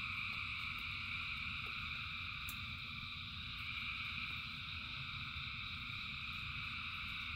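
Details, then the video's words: A massed frog chorus in rain, thousands of callers merging into a continuous shimmering trill at several pitches, with a steady low patter of rain beneath and a single sharp click partway through. "Frogs in Rain 2 Hours of Frogs, Thousands of Frogs Singing"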